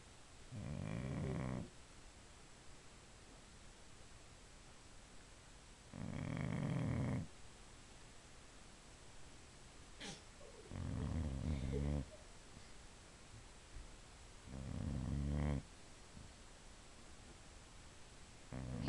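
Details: Female pet Boxer dog asleep indoors, snoring loudly: four long rasping, low rumbling snores spaced about four to five seconds apart, with quiet breathing between and a brief click near the middle.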